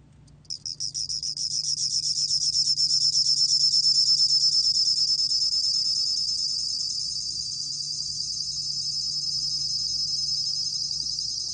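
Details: Bell cricket singing in a recording from 2020: a bright, high, finely pulsed trill that starts with a few stuttered chirps, swells, then runs on as one continuous ringing stream, with a low steady hum underneath.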